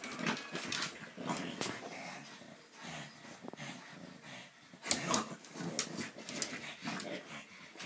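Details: Two French Bulldogs indoors in a small room, filmed on an iPad 2, interacting playfully or quarrelsomely; soft whimpers and low grumbling growls come in short bursts, with scuffling and clicking noises throughout.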